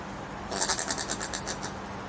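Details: Common brushtail possum filmed in Queensland, Australia, making strange noises: a quick run of about ten short, rasping pulses packed into just over a second, over a faint steady low hum.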